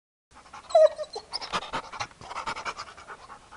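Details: Chad, a hyperactive four-year-old Labrador Retriever, pants in quick rhythmic breathy bursts after a short high whine near the start, the puffs repeating several times a second and then softening toward the end.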